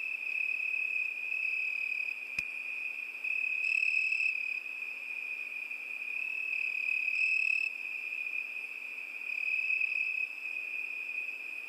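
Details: Summer night chorus of crickets, a continuous high ringing trill whose upper bands swell and fade every few seconds, with one brief sharp click early on.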